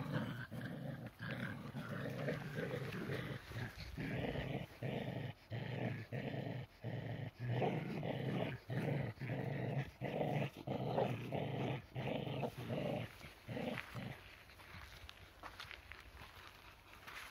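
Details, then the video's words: Two tricolor Shetland Sheepdogs in a tug of war, the lighter one keeping pace with the heavier; rhythmic bursts of low growling roughly every second, each cut by short pauses, fading near the end. "tricolor shelties in a tug of war. Shelties Cherry&Sammy playing"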